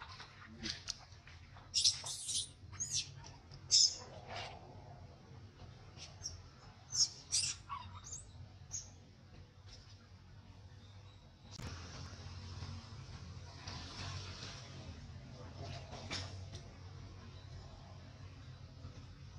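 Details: Baby monkey throwing a crying tantrum after being mistreated by its mother: shrill, high squealing cries in short bursts during the first ten seconds, then a steady broadband background hiss with fainter cries.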